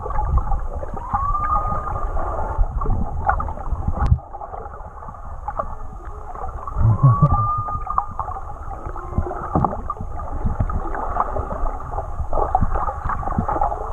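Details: Underwater whale song from Tonga, captured on a swim with the animals, audio unaltered: two clear upward-sweeping cries a few seconds apart, with fainter droning tones between, set against constant low water noise and crackle.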